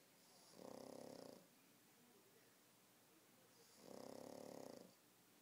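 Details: A pug sleeping indoors after a tiring day at the dog park, snoring in two long, rasping, buzzy breaths roughly three seconds apart, with quiet pauses between them.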